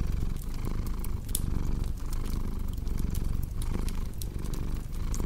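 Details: A steady, strong cat purr, a thick low buzz repeating in even breath-paced waves, accompanied by faint fireplace crackles.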